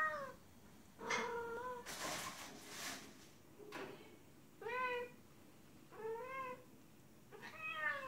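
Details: A female cat in heat cries out to a male outside, a harmonic meow followed by broadband rustling noise, then four clear arched meows roughly every one and a half seconds.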